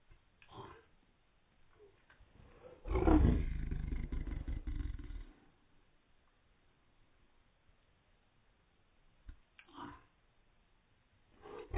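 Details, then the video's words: A dog barking from its own hiccups, shown in slow motion: one long, deep, drawn-out bark lasting about two seconds, with short faint huffs before and after it and near-silence between. "dog barking from his own hiccups"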